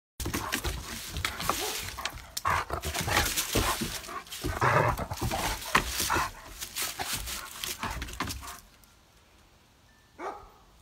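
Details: White Shepherd, a one-year-old spayed female weighing 35 lb, playing with another dog: about eight seconds of rough, broadband growling and scuffling bursts with sharp clatters, then near silence broken by one brief final noise.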